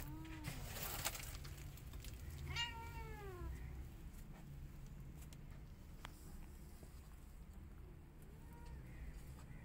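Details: White cat angry at a tiny kitten trying to come inside her hut; a low falling meow, then a louder arched, strained cry, and a faint short call near the end, over steady low rumble and scattered clicks.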